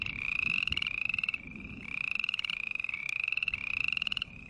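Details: Rapid pulsed croaks from green tree frogs, grouped in bursts of raspy, rising notes roughly half a second apart, the bursts broken by short gaps.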